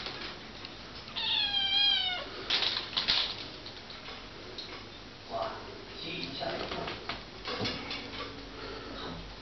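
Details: Kittens at play on drying racks: one long, wavering, slightly falling meow early on, followed by clattering and rustling of the racks, scattered knocks and faint human voices.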